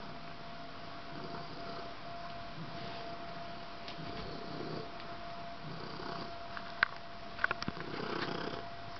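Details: Domestic cat named Riley, being silly, purring softly: a low, rough rumble swelling and fading in slow breathing cycles roughly every one and a half to two seconds, with a few faint clicks near the end.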